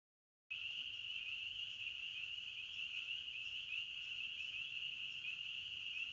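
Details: Crickets chirping in a forest: after half a second of silence, a steady, dense high-pitched trilling chorus holds one even band without pause, with faint low background rumble.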